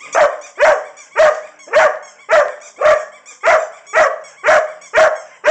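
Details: Irish Setter LadyBug barking because she wants her toy, steady loud barks about two per second, each bark short and harsh with a slight tonal yelp, evenly spaced.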